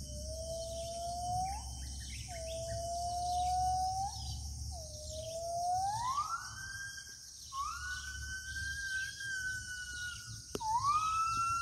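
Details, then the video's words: Gibbon calling from the remote interior forest of Kalimantan: a series of clear whistled hoots, each swelling upward and climbing higher through the sequence into long sustained notes, over a constant buzzing insect chorus. "Suara owa owa dari hutan pedalaman kalimantan"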